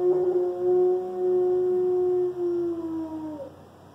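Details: Loki, a one-year-old Alaskan Malamute, howling for the first time: a single long, steady, mid-pitched howl rich in overtones, held about three seconds before sliding slightly downward and fading out.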